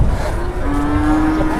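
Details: Cattle at a busy cattle market where traders haggle over prices. A single low, steady moo holds one even pitch for about a second over crowd murmur and a low rumble.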